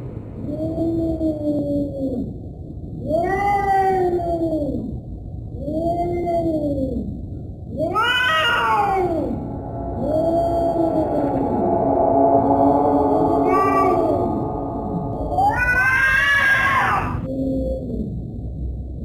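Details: Cat making scary, yowling meows: several low, even arched wails in a row, then louder, higher, harsher cries. Near the end comes a long sustained wavering moan, set against steady low background noise.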